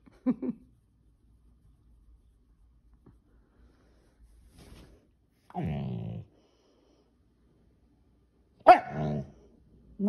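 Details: Male Siberian Husky indoors during a nightly petting routine, vocalizing to demand more petting when it stops. Three short grumbling, harmonic bursts, the middle one low and drawn out, the last one sharper and higher. Quiet gaps between them and brief human speech.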